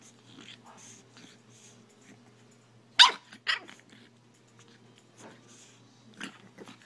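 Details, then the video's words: Buddy, a pet puppy, barks repeatedly at the owner's phone during a photo attempt, recorded on an iPhone: two sharp, bright barks about half a second apart midway through, with a faint steady low hum and quiet background sounds. "Buddy barking at my iPhone"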